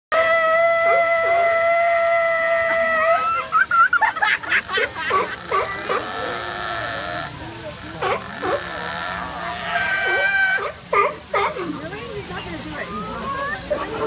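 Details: Sea otter begging for fish. It opens with a steady, piercing scream held for about three seconds, then breaks into shorter squeals and bent, rising whines repeated over the rest of the recording.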